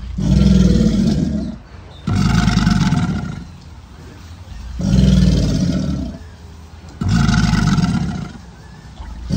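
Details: American alligators bellowing during mating season, a sound both males and females make on land and in water; deep rumbling bellows of about 1.5 seconds each, four bouts spaced roughly every two and a half seconds, with low throbbing undertones.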